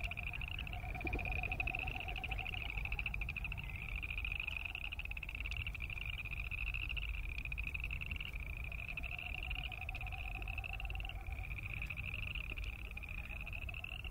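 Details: Boreal chorus frogs in full chorus, each croak a rising run of fast creaky pulses. The trills chain one after another for the whole stretch, with a low droning rumble underneath.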